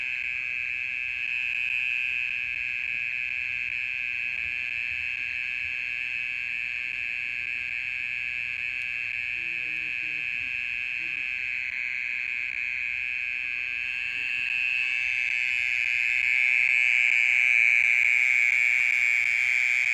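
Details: Steady nocturnal trill of a mole cricket, which keeps calling for more than half an hour: a continuous droning buzz, constant in pitch, growing slightly louder near the end, with a faint murmur midway.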